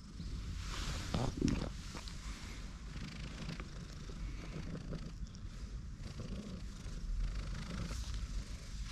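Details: Tortoiseshell stray cat curled on a bench-sitter's lap in a park, purring in a deep, even rumble, with a short louder rustle near the beginning and soft outdoor ambience.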